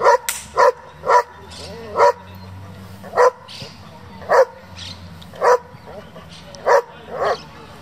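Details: German Shepherd from a working group kept for breeding and competition, giving a series of sharp, loud barks, about nine in eight seconds at uneven intervals, with faint background murmur between them.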